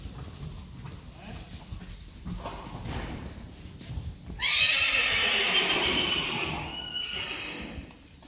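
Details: Friesian horse within a herd whinnies after four seconds of hoofbeats and quiet talk: a sudden loud, shrill burst that trembles and slowly falls away over about three seconds.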